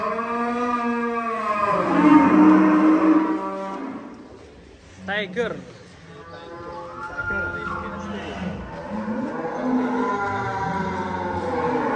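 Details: Cattle at a farm: a long, loud harmonic moo over the first four seconds, a brief higher squeal near five seconds, then further drawn-out lowing calls; music and a person's voice faintly behind.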